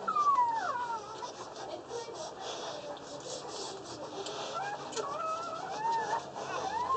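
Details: Newborn Boerboel puppies under one day old, from a litter of six (two male, four female) at a kennel, give thin whining squeals that rise and fall, clustered in the first second and again near the end, over a soft steady hiss.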